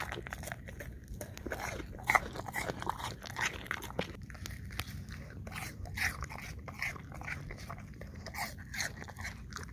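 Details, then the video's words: English Cream Golden Retriever eating apple chunks, recorded on a Samsung Galaxy S10e: dense, rapid wet crunches and bites in quick irregular bursts, with soft chewing between them and a low steady background hum, close up indoors. "Dog ASMR 1 Hour Long Looped - Eating Apple Chunks - English Cream Golden Retriever"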